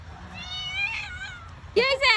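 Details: Frightened cat up a tree, meowing: a long wavering meow followed by two sharp, loud, harmonic-rich meows close together, with people talking nearby.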